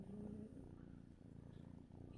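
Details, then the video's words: Robert, a sleepy pet cat, purring on a Sunday morning, August 4th, before his medications after about an hour of sleep with twitching; a soft, steady, low rumbling purr with even pulsing throughout, faint and close, in a quiet room. "purring sleepy kitty Robert"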